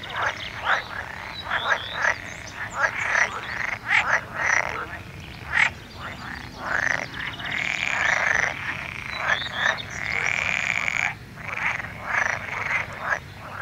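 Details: Many frogs croaking together, rasping pulsed calls overlapping continuously, some longer drawn-out notes, busy and unbroken throughout.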